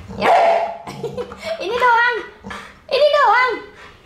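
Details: Pit Bull upset and protesting while having its nails clipped, letting out a string of loud whining, yowling cries with wavering pitch, three or four bursts within a few seconds.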